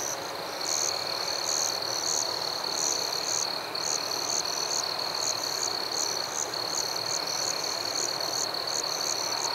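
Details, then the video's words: Crickets in a forest at night: a steady, high, unbroken trill runs throughout, overlaid by brighter pulsed chirps repeating about twice a second, with a soft background hiss. "Crickets at Night"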